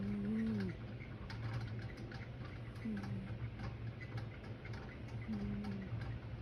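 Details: Snoring from a sleeping cat comes as brief whistled breaths, each level and then sliding down, spaced about two and a half seconds apart. The constant hum and clicking of a ceiling fan sit behind them.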